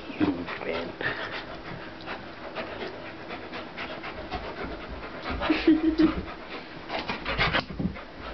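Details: Pit bull and large German Shepherd play fighting indoors; rapid panting about three breaths a second mixes with brief growls and scuffling, louder toward the end, with a person's voice faintly in the background.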